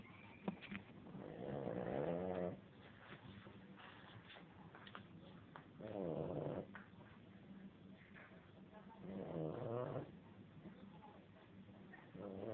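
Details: Pet dog asleep and snoring: four drawn-out rough, buzzy inhalations spaced about four seconds apart, harmonic rattling in the low-mid range, faint breathing and small rustles between snores.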